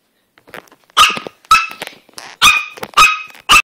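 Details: A Chihuahua playing on a bed gives sharp, high-pitched yaps, roughly every half second with short pauses.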